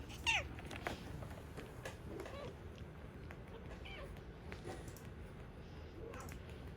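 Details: Cat in a woodworking workshop where a stray kitten has wandered in beside the resident tabby Korean shorthair: one sharp, falling meow at the start, then faint scattered small sounds in a quiet room.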